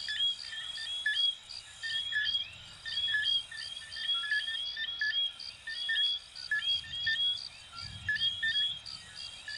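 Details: Many coquí frogs, Venezuela and Puerto Rico, sound in a rhythmic chorus. Bursts of whistled rising notes swell and fade every second or two above a steady high pulsing chirp.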